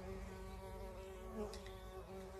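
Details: Bumblebee humming inside a mucked-out farm shed in County Kilkenny, Ireland, searching for its nest that was removed during the clean-out. A steady, low, droning buzz holds with rich overtones and swells slightly midway.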